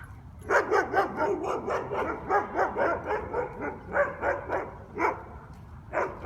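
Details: Guard dogs barking at a taxi business on Conti Street in New Orleans, recorded as a noise violation: rapid, continuous barks about four a second, several overlapping, with a low background rumble.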